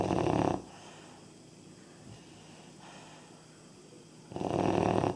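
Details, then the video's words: Labrador pup of three and a half months snoring: a short raspy breath at the start, nearly four seconds of soft quiet breathing, then another rough snore. "Как храпит щенок"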